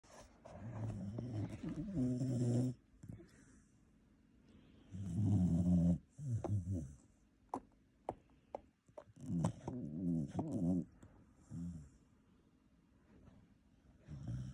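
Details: Shiba Inu asleep in bed beside people, snoring indoors. Low, rumbling, rasping breaths come in bursts of about one to two seconds, separated by quiet pauses, with faint clicks between.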